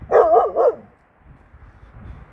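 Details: Kangal dog barking at night in reaction to a strange female dog in the neighbourhood in Turkey; two loud harsh barks in quick succession, then quiet with faint low rumbling.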